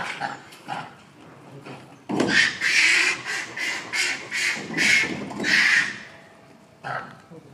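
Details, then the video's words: Young Japanese macaques at Chausuyama Zoo, Japan, in October 2022 give harsh, noisy screeching bursts. The bursts come in a rapid run of about eight, then a lone final cry, with faint human voices between them. "ニホンザルの子供たち（Children of Japanese monkey）"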